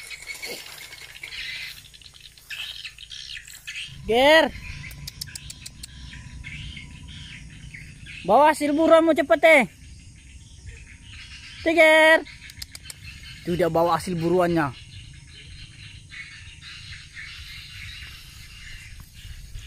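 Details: Hunting rats in a rice field, the cat Tiger utters four spaced, wavering meows, each about a second long, with insects and frogs chirring steadily between them.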